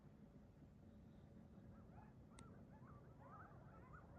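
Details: Coyote pack waking up and running through a neighborhood in the morning; faint wavering, rising-and-falling yips cluster in the second half over a steady low rumble of background noise.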